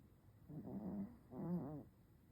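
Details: Sleeping chocolate-and-tan Chihuahua gives small, cute snores: two short, low, rattling breaths with a soft nasal whine, one after the other, over a quiet background.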